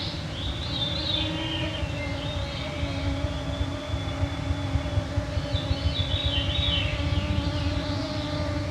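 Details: June 2024 evening at 9pm in northwestern Ontario, Canada: swarming mosquitos make an unbroken whining drone of layered pitches. Airy, fluting bird phrases drift in at the start and end, with soft low thumps partway through.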